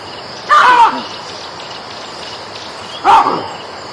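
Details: Monkey giving two loud, short calls about two and a half seconds apart, each a tonal cry with a quick falling tail, over a steady hiss of outdoor background noise.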